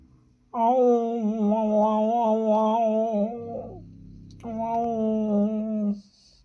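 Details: Domestic cats in heat, male and female, kept indoors as pets, making noise: a long, low, wavering drawn-out yowl lasting about three seconds, a short murmur, then a second sustained moan, in a small room.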